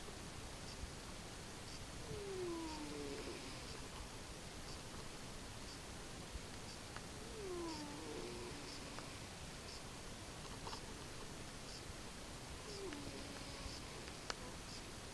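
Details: Cat asleep following a Thanksgiving meal, with soft nasal snores. Each breath brings a thin descending whistle, repeated roughly every five seconds, over a steady low hiss with no other sounds.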